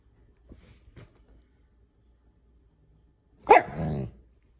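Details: Pet Siberian Husky during a nightly petting routine, vocally complaining when the petting stops: after a few soft taps, one loud, drawn-out, whining howl-like vocalization lasting about half a second, falling in pitch, in a quiet room.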